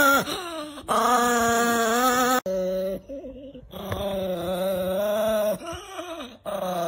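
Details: Angry pet Chihuahua making drawn-out tonal growling whines with rising and falling pitch, separated by short quiet gaps.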